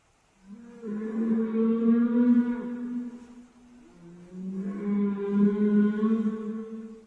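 A whale gives two long, low moaning calls, each a steady, slightly wavering tone rich in overtones.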